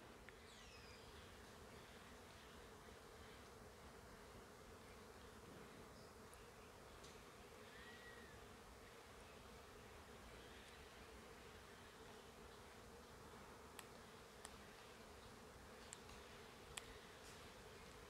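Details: A steady low hum of many bees, likely nesting high in trees at the Oxtankah Maya archaeological site in the forest of Quintana Roo, Mexico, in 2023, with a few faint bird notes above.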